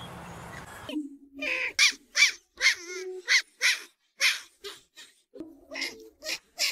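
Tasmanian devil giving a run of harsh, raspy screeching growls, about eight rough bursts with brief gaps, after a moment of low rumbling noise.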